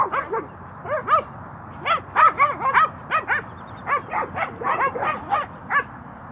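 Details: Young Cane Corso, nine months old, at play with another dog, giving a near-continuous run of sharp, arched yips and whiny yelps in quick pairs and triplets, about two to three per second, over a low steady hum.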